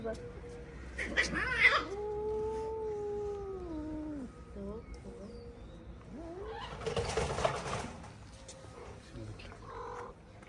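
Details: Hungry stray cats in a Moroccan street gathered around leftover food on a plate; a long drawn-out wavering yowl sliding down in pitch, then a rising wail, with street noise and brief speech.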